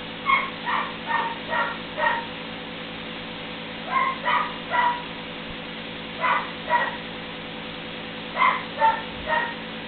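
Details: Puppies aged three weeks at play together for the first time: clusters of two to four sharp, high yelps with bright overtones, separated by short pauses, against a constant low hum.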